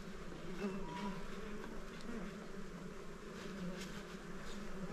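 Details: Honey taken from a small hive as its honey bees swarm about: dense, even wing hum throughout, with low rumbling handling noise beneath and faint scattered ticks.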